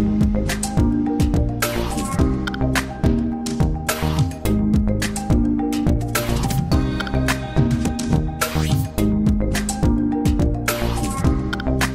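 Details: Rhythmic instrumental music with sharp percussive clicks and sustained low chords fills the whole stretch; no barking or other animal sound stands out.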